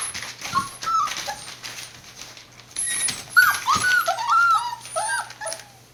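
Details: Border Collie puppies born 19 September 2020, recorded on 1 November indoors at a breeder in Hioki, Kagoshima, Japan, whining in short high rising-falling squeals that grow busier and louder midway, over a constant low hum.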